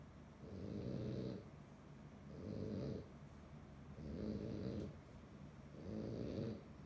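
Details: French Bulldog sleeping, snoring in soft, rasping breaths repeated roughly every 1.7 seconds, each a low rough burst lasting about a second with quiet pauses between.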